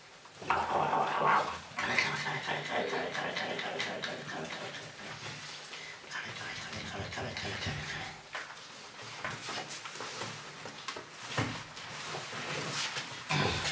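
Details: Golden Retriever puppies from a B litter at a breeding kennel in the Westerwald, Germany, giving irregular high whimpering and yelping bursts indoors, mixed with human voices and household clatter.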